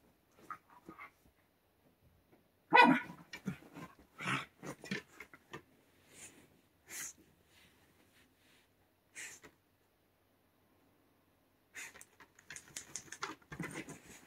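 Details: White Shiba Inu indoors, digging at a futon and being stopped: a loud harmonic bark-like burst, then scattered short grunts and yips separated by silent gaps, with faint rustling of bedding toward the end.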